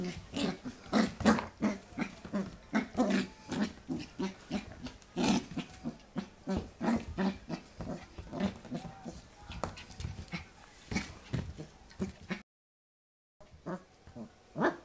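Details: Corgi puppy (Pembroke Welsh Corgi) in 2014 play-fighting a hand, giving a long run of low snorting growls about three a second, briefly cut to silence near the end before resuming.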